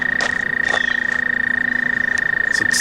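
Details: Male American toad calling while hidden near the edge of the Delaware Canal: one long, steady, high musical trill of rapid, even pulses held at a single pitch for the whole stretch, with brief soft rustling and clicking sounds on top.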